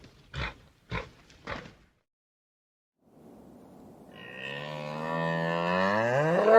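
A spoken word is heard twice, then after a pause a bull gives a long, deep, rising bellow that swells louder and harsher to the end.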